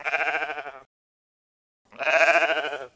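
Two bleats from a domestic sheep, each a quavering, nasal 'baa' with a rich buzzy tone lasting under a second. A brief silence falls between them.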